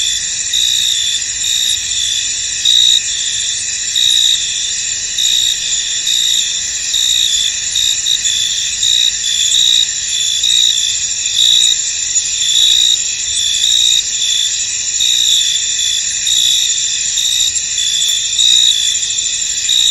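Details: Crickets chirping in a misty, foggy field: a dense, continuous high-pitched chorus of trilling, layered bands with a brighter pulsed chirp repeating steadily on top, with no other clear sounds.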